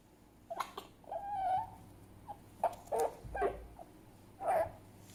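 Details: Fennec fox giving a series of short squeaky whimpers and chirps, one drawn-out wavering whine followed by clipped bursts at irregular intervals, against a quiet background.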